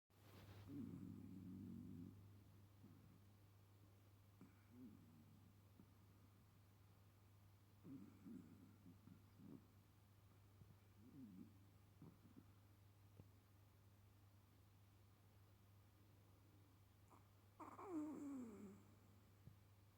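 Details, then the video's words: A sleeping Chihuahua snores softly, with raspy, low breaths returning every three to four seconds. The snores are faint and uneven, and the last one is louder and longer. A steady low electrical hum runs underneath. "Chihuahua snoring"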